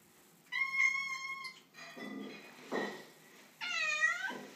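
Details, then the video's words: Displeased female tortoiseshell cat on moving day in a new house: a steady, level meow, a softer muffled cry, then a wavering, rising-and-falling meow, indoors. "Cute Tortie Cat meets the New Home"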